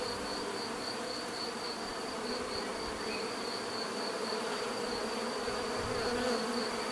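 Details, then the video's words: Steady swarm-like drone of bees, low buzzing bands under a constant high whine, growing slightly louder toward the end. "bees therapy relaxing natural buzzing sound"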